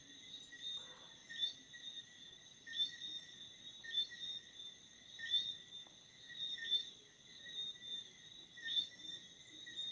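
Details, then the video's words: Crickets at night with rhythmic high-pitched chirps, slightly irregular spacing of a second or more, layered over a constant thin trill and quiet low background hiss. "Chirping Crickets @ Night"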